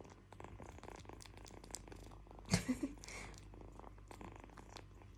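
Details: Kitten purring as a quiet, low rumble underneath, broken around the middle by a short burst of louder rustling or contact noise, then settling back into the soft steady purr.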